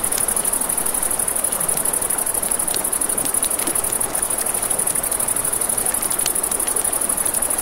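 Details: Crickets at night beside a river, a steady high, finely pulsed chirring that runs without a break, over constant rushing water and sharp crackles and pops from a campfire.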